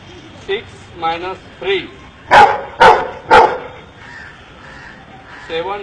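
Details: Counting dog trained by an Indian man: a man talks briefly, then three loud, punchy barks follow in quick succession before his voice returns.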